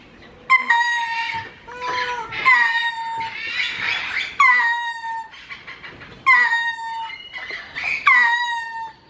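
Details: Lemur at León zoo, Guanajuato, giving a peculiar lament-like call: loud, tonal wails that start high and slide down, repeated in overlapping bursts every second or two, some ending in a sustained lower whine.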